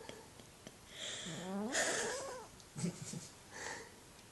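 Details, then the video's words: A female Burmese cat, sleeping soundly, snores loudly with wheezy, rasping breaths, each one swelling and fading over about a second. "Burmese cat snoring loudly"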